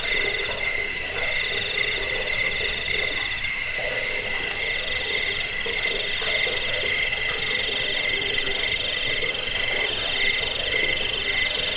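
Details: Overlapping cricket trills, offered as rat-repelling, sleep-inducing and bird-training sound: a very high, rapidly pulsed buzz runs throughout, joined by two lower steady chirping bands.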